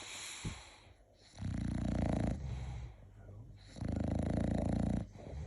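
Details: Sleeping English bulldog snoring: two long, loud, rattling snores, each lasting over a second, separated by quieter, softer wheezy breathing.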